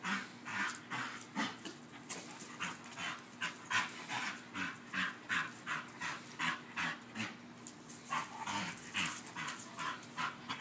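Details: A female Bull Terrier chasing her squeaky toy huffs and pants in rapid, breathy bursts, roughly two or three each second.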